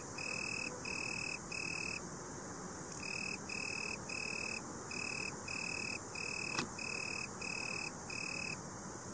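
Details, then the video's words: An Italian tree cricket (Oecanthus pellucens) sings a soft, steady, purring trill broken into regular bursts. "Boomkrekel/Italian tree cricket (Oecanthus pellucens) Geluid/Sound"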